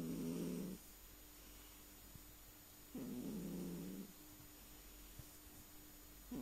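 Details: Sleeping house cat snoring softly, two rough, buzzy inhalations about three seconds apart, each near a second long, separated by near silence over a faint steady hum.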